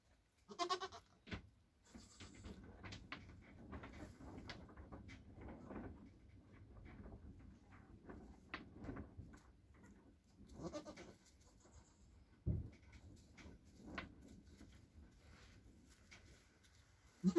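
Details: Newborn Nigerian Dwarf goat kids, a buckling and a doeling only hours old, with their mother: soft low bleats and murmurs scattered through, with a few sharper clicks and rustling in between.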